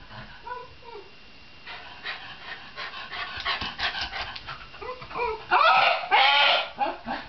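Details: A Shiba Inu vocalizing in a run of rapid, uneven whines and yelps that grow louder toward the end, bursts coming several times a second.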